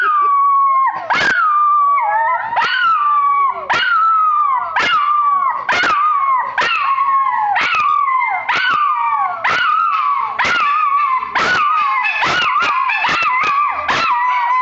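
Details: Two dogs singing the blues together: a rhythmic run of short falling howls, roughly one per second, each capped with a sharp yip, voices overlapping and wavering throughout.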